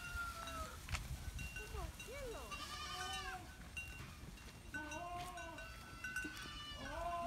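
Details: Goats on a farm in a herd: many soft, quavering bleats from several animals, some rising and falling, scattered through the recording amid ringing bell-like tones and low background noise.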